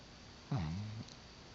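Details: A single snore from Brownie, a sleeping dog, in a quiet room: one low, throaty, voiced drone lasting about half a second that starts abruptly and fades out.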